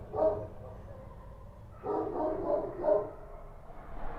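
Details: Kochi street dogs barking at night in Kabul: one short bark, then after a pause a quick run of three sharp, fairly distant barks, with a low steady rumble of background noise underneath.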